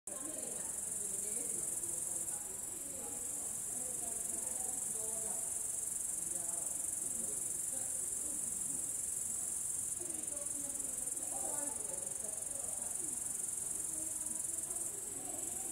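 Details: Upland green bush-cricket (Tettigonia cantans) sings a continuous, shrill, even-pitched buzzing trill late in the evening, 22:36 on 3 August 2013 in Savonlinna, Finland, over a faint, low, wavering distant murmur.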